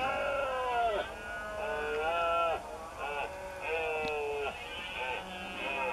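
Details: Several red deer males call in the Doñana marsh near the cork oak woodland during the September berrea, when stags gather in open ground to mate. Rough, bellowing calls repeat with uneven gaps, each ending in a downward slide, and some overlap.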